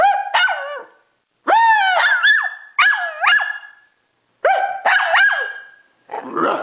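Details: Domestic dog barking back at its owner in a bark war, then agitated by the camera coming closer: a few drawn-out, howling yelps rising and bending in pitch, separated by short silences, ending in a rougher growly bark.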